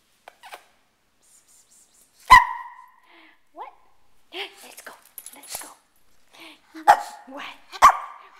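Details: Shih Tzu, a male pet dog, excited as he expects to go out; sharp high barks at about 2.3, 6.9 and 7.8 seconds with softer yelps between, while a person talks to him indoors.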